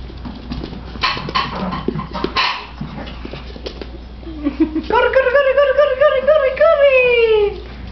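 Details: Chihuahuas at play, three pets racing about a living room indoors; after a few seconds of human chatter and scuffling, one long quavering whine swells, holds steady, then slides downward at the end.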